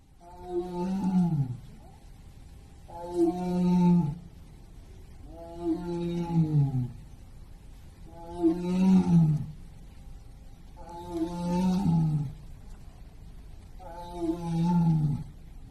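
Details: Captive white tiger at Hirakawa Zoo in Kagoshima, Japan, September 2024; deep moaning roars, each about a second long with a falling end, repeated six times roughly every two and a half seconds.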